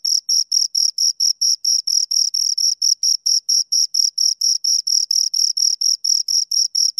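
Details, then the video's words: High, scratchy chirps from two crickets come in a regular series of short pulses, roughly four to five each second, with a faint higher overtone above and a clean, silent background. "Two Crickets Chirp Sounds"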